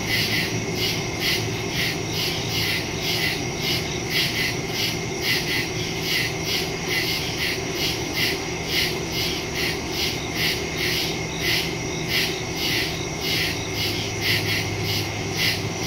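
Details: Night soundscape of woodland crickets from September 2, phone-recorded in stereo: long run of rapid, regular chirp pulses over an unbroken high-pitched insect drone, with a low hum rising toward the end.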